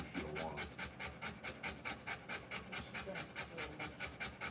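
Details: Whelping Rottweiler panting hard, quick airy breaths a little over two per second, with faint human voices in the background at the start.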